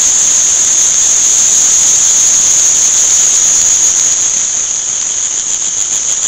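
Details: Crickets at an insect, flower and fish market in Shanghai, very loud: a steady, piercing high-pitched ringing trill that holds on without a break and fades only slightly near the end.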